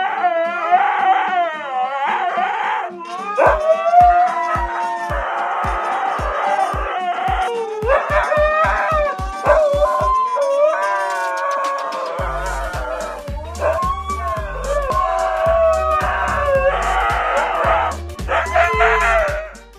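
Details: Two Siberian Huskies howling loudly together, long wavering vocal calls rising and falling in overlapping chorus, with a steady rhythmic beat of music running underneath throughout.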